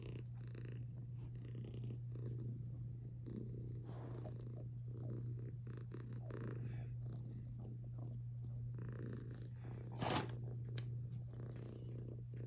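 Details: Purring cat curled up with a Belgian Malinois dog, a continuous low hum pulsing gently with each breath, interrupted by one brief sharp click near the end.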